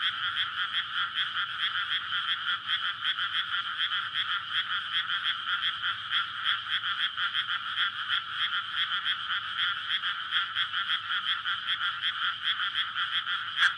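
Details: Night-time frog chorus in a May rice paddy flooded before transplanting, males courting to spawn, captured on a SONY PCM-D100. A thick wall of rapid, overlapping croaks runs steadily throughout, with one sharp click near the end.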